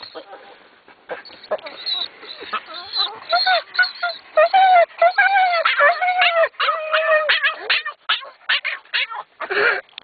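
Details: Two dogs, over-excited in the car heading to the dog park, whimper and squeal in long wavering, pitch-bending whines and short yips, repeated rapidly and irregularly, while a person talks over them.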